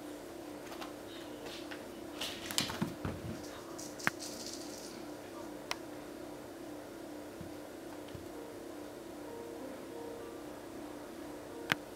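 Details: Steady indoor hum like a running fan, with faint speech, a few rustles and sharp clicks, and no animal calls.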